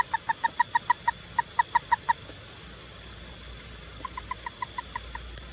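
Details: At night a toad gives rapid bursts of short, hollow clucking notes, about five a second, with a steady insect hiss behind.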